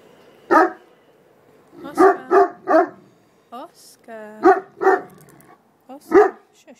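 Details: Two puppies playing noisily indoors, giving short high yappy barks in bursts, some doubled, with quick whiny yelps between and a person speaking softly in the background.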